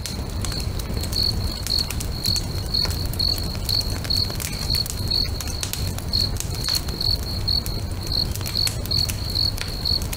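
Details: Beside a lake at sunset, crickets sing in a regular string of thin, high chirps, a few gaps breaking the rhythm, mixed with the sharp snaps and pops of a burning bonfire.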